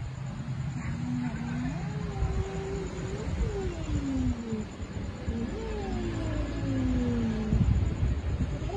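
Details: Stray city cats and kittens without owners, meowing while being fed on the street: several drawn-out, overlapping meows that slide up and fall away, repeated throughout over a low rumble of traffic.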